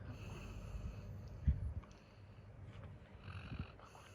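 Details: Labrador Retriever Coco, a male dog worn out from a full day of play, snores in low, rough rumbles, with one brief louder snort midway and a fainter breath toward the end.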